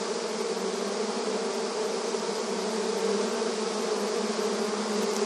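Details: Honey bees busy in front of their hive entrance in a rural setting, producing a dense, steady droning hum with a strong low tone and many overtones, unbroken throughout, with no other sounds.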